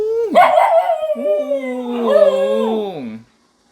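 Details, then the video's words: During a civil defence drill siren, a dog gives drawn-out howls: a high wavering start sinks gradually, then a second swelling, quavering rise and a slow downward fall before silence. "민방위훈련 받는 강아지"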